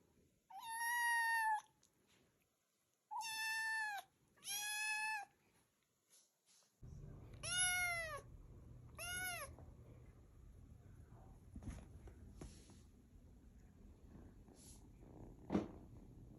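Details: Cat or kitten giving five clear, harmonic meows spread over the first nine seconds, some bending downward at the end, followed by low rumbling background noise and a few soft clicks.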